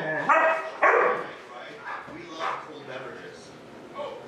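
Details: Huskies by themselves at home during their owners' errands, Gertie aged one. Two sharp, loud yowling cries open the stretch, followed by softer, drawn-out whines and murmuring vocal sounds.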